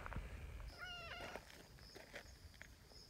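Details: Community cats, a female brown tabby and a black cat that arrived later, outdoors; one short meow lasting about half a second, a steady tonal cry with clear harmonics, over a soft outdoor hiss and light rustling.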